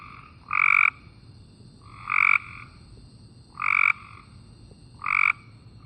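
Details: Cope's gray treefrog giving a fast, buzzy burr with no audible separate pulses, each under half a second, repeated roughly every one and a half seconds.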